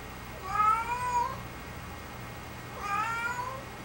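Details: A pet cat gives two similar meows about two seconds apart, each a smooth tonal cry that rises slightly then falls away, with constant low background hum inside a room.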